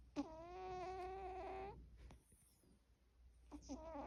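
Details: Quirky snoring from a resting cat: a drawn-out, nasal, whistle-like breath of about one and a half seconds, a quiet pause, then another tonal snore beginning, over faint low background hum.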